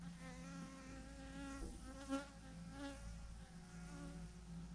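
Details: Thousands of honey bees hanging from a branch in a massive swarm clump, producing a steady droning buzz with layered harmonic tones that rise and fall slightly, a few louder passes near two and three seconds.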